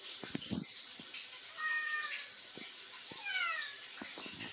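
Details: Bini, a talkative cat holding a conversation with its owner: two separate meows, the first flat and steady, the second sliding downward, amid faint clicks and rustling in a small room.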